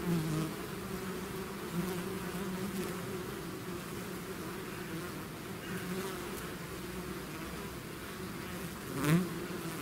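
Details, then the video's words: A swarm of bees out of its hive, steady dense droning hum with layered low buzzing tones, a single louder bee passing close near the end. "bees therapy swarm natural buzzing sound"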